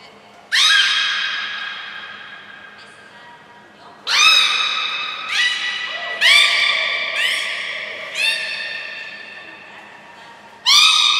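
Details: Captive belugas Gray, Nana and Mirai during a training session at Port of Nagoya Public Aquarium, 7 June 2022. Loud, harmonic, squawking tones of steady pitch, each held one to two seconds. Five or six separate calls, some overlapping. Faint indoor room echo.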